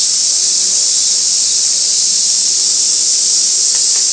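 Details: Cicadas droning on Gaikotsu Mountain, 2 August 2024, fixed camera at an old sawtooth oak where white-spotted flower chafers gather: a loud, uniform high-pitched hiss with no pauses.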